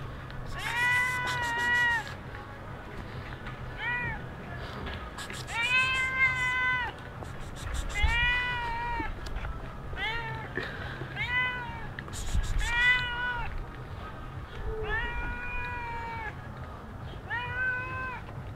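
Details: In Sharm el Sheikh, Egypt, a stray cat mews persistently, a long series of arched, tonal meows of varying length spaced one to two seconds apart, with clicks and rustles and a low hum beneath.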